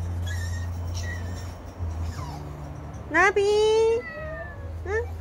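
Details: Cat giving a sharp rising meow that levels into a sustained tone, followed by a short rising mew, with soft voices and a low hum in the background.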